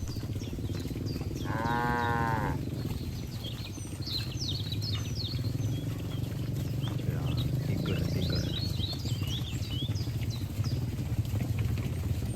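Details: From cattle enjoying grass in a green field comes a brief, resonant moo near the start, followed by scattered bird chirps and a continuous low rumble.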